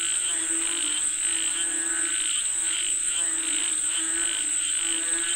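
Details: Frogs calling for rain in a dense chorus: pulsed, rattling notes repeat about twice a second over a low droning band, with a steady high insect-like whine running throughout.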